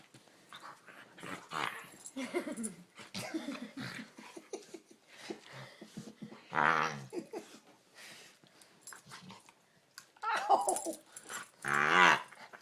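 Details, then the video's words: Pet dog that goes wild when his chin is touched, giving frog-like noises: rough, croaking, growly bursts, some strained and rising, coming in irregular clusters, with the loudest harsh calls near the end. "Strange dog makes frog noises"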